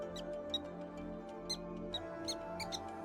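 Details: Black-tailed prairie dog alarm calls rise from the tall grasses of the North American prairie: sharp, high chirps repeated at an uneven, quick pace over soft music.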